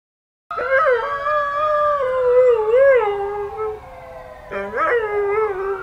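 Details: Nikki, an Alaskan Malamute, howls to neighborhood sirens: a long wavering tone that slides and bends, breaking off near four and a half seconds before a fresh rising howl starts.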